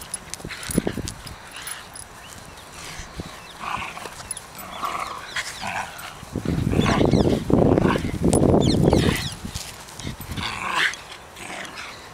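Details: A Shiba Inu at Kenwood House with new toys, 23 October 2011, gives short, tonal whimpers mixed with rough, noisy bursts of sound.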